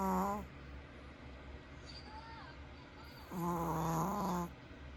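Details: A sleeping dog snores at home with two slow, rasping, droning breaths about three seconds apart, low and nasal, quiet hum between them.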